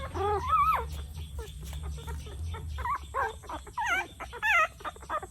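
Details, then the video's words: Puppy in Cambodia crying, its first sound, thought to reveal its emotions; high, wavering whines rise and fall in short bursts, some squeaky and quavering, over a low steady hum. "Why Is It Crying? 😢 A Puppy’s First Sound Reveals Its Emotions"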